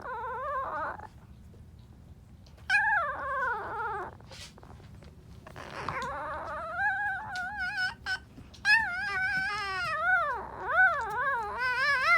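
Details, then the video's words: Alaskan Malamute puppy, two days old, attempting to howl indoors: repeated wavering, yodel-like squeals that slide up and down in pitch, coming in longer strained bursts separated by short pauses and growing more sustained toward the end. "Alaskan Malamute puppy trying to howl at 2 days old"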